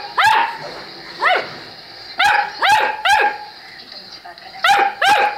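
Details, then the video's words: Saint Bernard barking steadily, six strong, clipped barks spaced roughly a second apart, some doubled, over a quiet background. "Saint Bernard"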